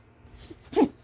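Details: Romie, a sleepy female Siberian Husky puppy, gives one short, soft sneeze near the end of a quiet second, after a faint murmur. A person answers with "bless you."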